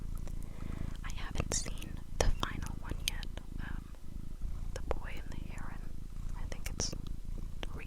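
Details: Domestic cats purring close up indoors: a continuous low, rumbling throb runs through the whole stretch, overlaid by soft close whispering and small clicks and rustles.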